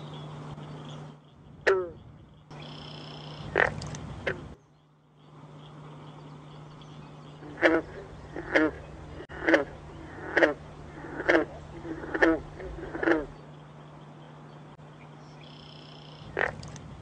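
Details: Green frog (Rana clamitans) kept in an indoor frograrium built with native plants and soil during winter study, giving a few twangy calls, then a run of seven short plucked notes about one per second, over a steady electrical hum.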